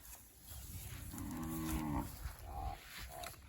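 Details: A single drawn-out moo with stacked harmonics from Charolais beef cattle being delivered, lasting about a second, with faint talking and rustling around it.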